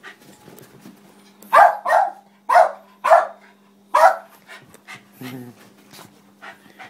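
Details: West Highland White Terrier, a Westie named Nitaro, giving five short, sharp barks in about three seconds, followed by softer scattered sounds over a faint steady hum.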